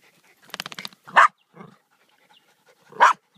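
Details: Hunting Jack Russell terriers at work pulling a fox from its den; two sharp, loud barks about two seconds apart, preceded by a quick rattling patter of softer sounds, in an otherwise quiet setting.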